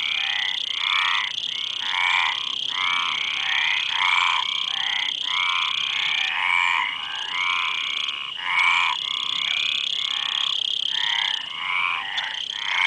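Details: Frogs croaking in a long, dense series of rasping, ratchet-like notes, several per second with brief gaps, over a continuous high whining hiss.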